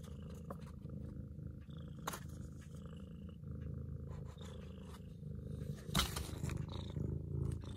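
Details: Purring from a long-legged Munchkin cat, a continuous low vibrating rumble with gentle rhythmic pulses, broken by a few faint clicks and a brief rustle about six seconds in.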